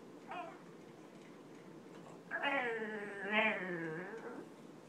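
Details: Boston Terrier, a butt scratch addict, vocalizing while its rear is scratched: a short whine, then a long wavering harmonic groan lasting about two seconds with a brief upward lift in the middle, steady background hum.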